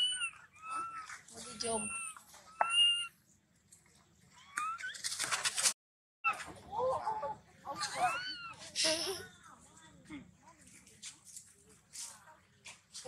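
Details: Baby monkey Maddix crying off and on for no apparent reason while his sister comforts him; short high whistled squeals with a rising and falling pitch come in bursts, with brief rustling between them and a quiet pause near the middle.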